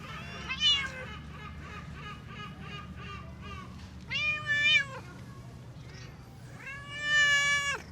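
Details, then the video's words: Talkative female stray black cat, jealous and seeking attention, gives a run of short chirping calls, then two longer drawn-out meows, each bending down at the end, over steady low background hum. "Stray Cat Pearl Always Surprises Me With Her Sweet Meows"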